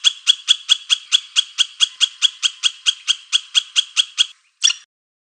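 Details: A squirrel's call is a steady, rhythmic string of buzzy, broadband chuck notes, about three to four each second. It stops, and one last note follows after a short pause.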